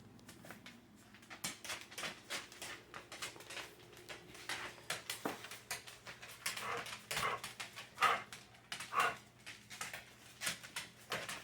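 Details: Dogs Sadie and Boots 'talking' indoors in a small room: short whiny whimpers and yelps scattered among quick clicking taps, with a louder rising whine near the end and a person's voice responding.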